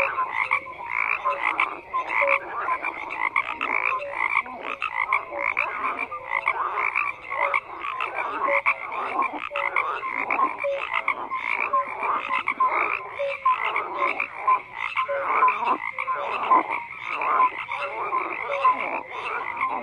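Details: Many frogs croak together in a continuous chorus, rapid rattling pulses layered with brief tonal notes recurring every second or so, unbroken for the whole stretch.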